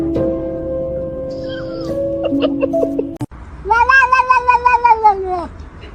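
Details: Kitten giving one long, drawn-out meow that rises slightly and then falls, following a stretch of steady musical tones and faint plucked notes.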